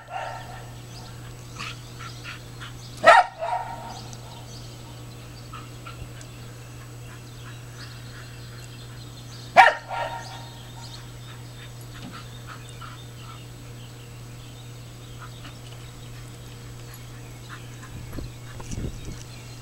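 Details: Smooth Fox Terrier, annoyed at ducks it chased into the water, gives two single sharp barks about six seconds apart, with faint duck chatter and a steady low hum between them.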